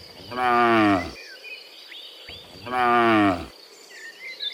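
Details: A herd of cows walking home from the fields to their pen in the afternoon; two drawn-out, rich moos about two seconds apart, with light bird chirps between them.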